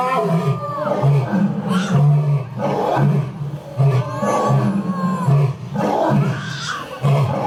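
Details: Roaring from Japan's oldest lion at Toyohashi Zoo (Nonhoi Park): low, pulsing grunts repeated roughly every three-quarters of a second, a steady throbbing rhythm with faint background voices.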